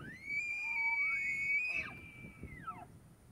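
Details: Tule elk in the rut at Point Reyes National Seashore: a loud, high whistled tone slides up from a lower pitch and holds steady for about two seconds. A brief rough break comes midway, then the tone drops away, over faint wind.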